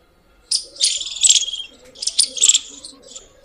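A squirrel gives harsh, high chirps in two quick rattling bursts.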